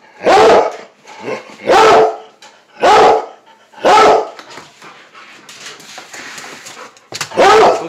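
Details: A squirrel-loving Plott Hound mix bays in long, full-throated bursts while being urged on about a squirrel outside.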